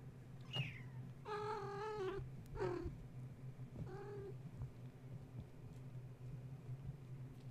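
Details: Kittens of the cat Gaia, woken at bedtime when a space heater was plugged in, then playing, climbing walls and fence while their mother tried to nurse; several clear harmonic meows, one long and level, others short and falling, over a steady low hum.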